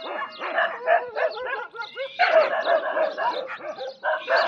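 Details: Desi dogs squabbling among themselves: dense clusters of snappy, harmonic snarling barks, irregular in rhythm, dipping briefly then bursting out again with a louder, sustained flurry.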